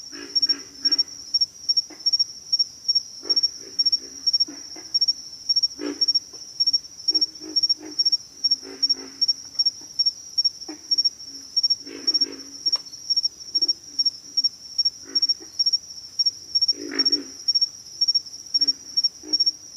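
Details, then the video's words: Deep, pig-like grunts from pig frogs come in irregular groups across a long stretch, with occasional stronger bursts, all against an unbroken high-pitched insect hum. "pig frogs - sound effect"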